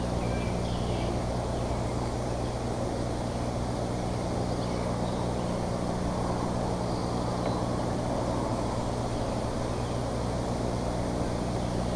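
Steady low rumble and broad hiss like distant traffic or machinery, with no clear animal calls.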